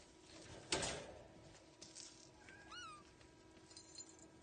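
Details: Kittens: a sharp knock early on, then one clear, falling mew that slides downward, followed by faint high chirps amid a low background hum.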